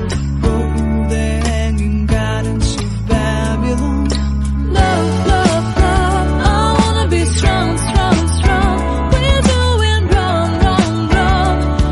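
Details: Loud upbeat pop music with singing and a strong bass beat plays throughout, and no animal is heard.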